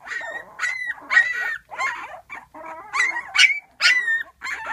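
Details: Twelve-day-old puppies just beginning to walk cry for their mother, who rests just outside the whelping box. High, wavering whimpers and yelps come in bursts roughly every half second, some rising, others falling.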